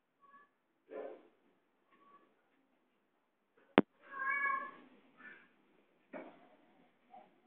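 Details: Cat near a laptop giving one clear drawn-out harmonic meow around the middle, with a few soft short mews before it and a sharp click, in a quiet indoor room.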